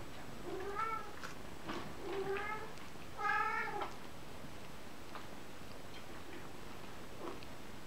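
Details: Kitten giving three harmonic meows about a second apart, each arching up then down in pitch, the third loudest and longest, followed by quiet with a faint steady hum.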